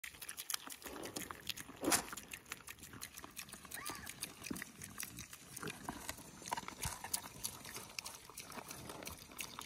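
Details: Berkshire piglets on a small family farm in Washington, raised for meat, eat with rapid wet chomping and clicking sounds and an occasional faint squeak; feeding sounds.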